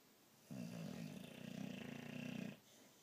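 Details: Boxer dog snoring loudly while asleep indoors: one long, rough, rumbling snore lasting about two seconds, low and pulsing, then quiet room.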